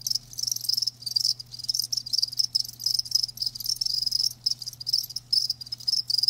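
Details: Live crickets chirping in a steady chorus, dense bursts of high, ringing trills repeating several times a second with brief gaps, over a faint low hum.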